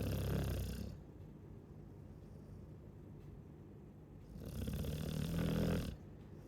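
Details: Snoring Chow Chow: two deep, rumbling snores, one at the start and another about four seconds later, separated by quiet breathing.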